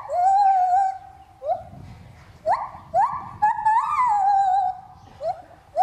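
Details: Lar gibbon at Trotters World of Animals, swinging while singing: loud clear whoops that rise and hold steady, some sliding upward in quick steps, delivered in bursts with short pauses between phrases.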